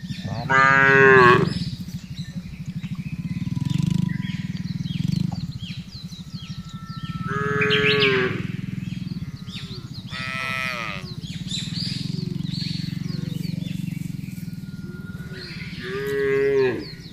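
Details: A large herd of cattle being driven calmly across wide grassland lows in long, deep, harmonic-rich moos that rise and fall, several animals calling in turn.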